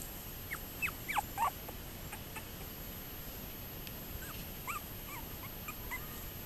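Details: Toy poodles recorded on 30 June 2024, giving a quick cluster of high, thin whimpering yips with sliding pitch in the first second and a half, then a few fainter, softer whines over quiet background hiss.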